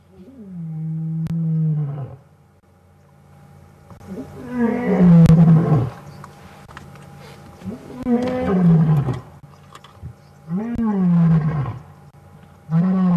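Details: Wild male lion heard on an evening safari drive, roaring at close range; a series of deep, moaning roars each lasting one to two seconds, falling in pitch, repeated roughly every three seconds with grunting tails.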